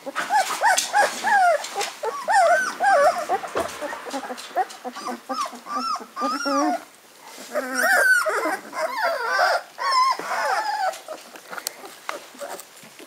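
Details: Hungarian Vizsla puppies, fifteen days old with eyes just opened and making first walking attempts, whine in rising-falling squeals, many overlapping, coming in loud clusters separated by brief quieter gaps and clicking rustles.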